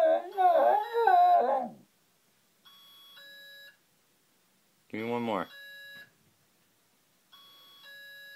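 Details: A Shiba Inu that hates alarms gives a rising and falling, quavering wolf-like howl at a steadily beeping alarm clock, then a shorter yelping howl a few seconds later, and a person speaks briefly.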